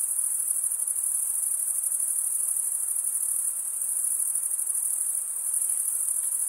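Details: Male crickets chirping by stridulation, scraping serrated wing veins; a constant high, buzzy trill with a fast fluttering pulse, dense and even from start to finish over low hiss.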